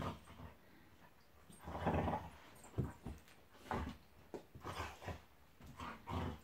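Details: Monty, a pet Golden Retriever, play fighting with Eric the Labrador: low rumbling growls with grunting bursts, loudest around two seconds, then short snarls and huffs scattered through the rest.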